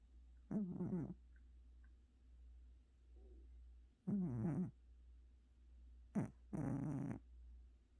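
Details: Sleeping house cat, worn out from a vet visit, snoring in a quiet room: rasping low snores at roughly half-second length, two spaced apart, then a quick pair near the end, over a steady faint hum.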